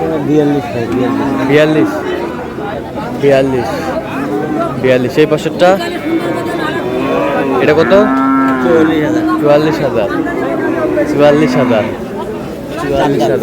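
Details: Cattle at the Aftabganj market, where lean dairy cows are sold on 9 May. Repeated lowing and moos overlap with chatter and crowd noise through the whole stretch.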